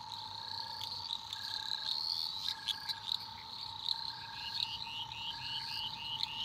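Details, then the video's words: Eastern dwarf green tree frogs calling at night in Australian rainforest: a dense high-pitched chorus of short repeated chirps and trills. A steady droning hum and evenly spaced softer beeps run underneath. "Relaxing Australian rainforest frog sounds at night"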